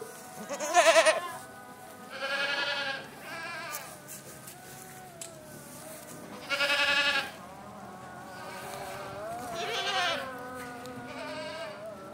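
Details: Boer and Saanen goats on a breeding farm giving loud, harsh, nasal bleats in bursts about every two to three seconds, each wavering and drawn out, with softer bleats from other goats in between.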